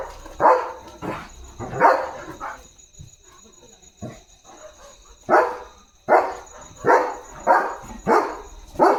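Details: German Shepherd on night guard duty, barking in the dark to protect its area: loud, broad barks in uneven bursts, roughly one every second, with quieter gaps and a steady high electrical whine behind.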